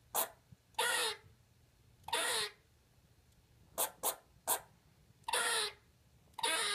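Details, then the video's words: Pet squirrel Lexi talking for the first time indoors: longer raspy hissing bursts alternating with brief sharp chirps, irregularly spaced over a quiet background. "Lexi the Pet Squirrel fist words"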